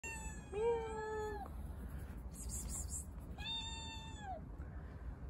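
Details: Stray kitten given water, meowing twice: a short rising-falling cry near the start, then a longer drawn-out meow, steady and slightly falling at the end, over low background rumble.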